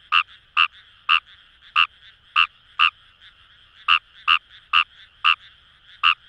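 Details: Fejervarya kawamurai calling from paddy fields in Itoshima, Fukuoka Prefecture, Japan; crisp croaks spaced about half a second apart, briefly broken by a gap, set against a continuous chorus of distant frogs.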